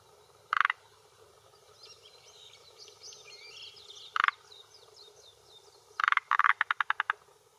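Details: Calling male forest green tree frog, vocal sac inflating, at a hillside pond edge in Japan, early June 2021 late afternoon, defending territory and attracting females: two single rattles, then a long run of about ten rapid clicks; birdsong behind.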